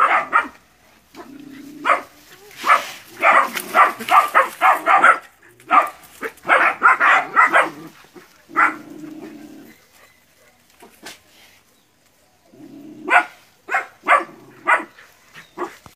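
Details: Training session in West Sumatra, Indonesia, where nine puppies face a big water buffalo: clusters of quick yapping barks from several puppies, separated by quieter stretches and short lower grunting noises.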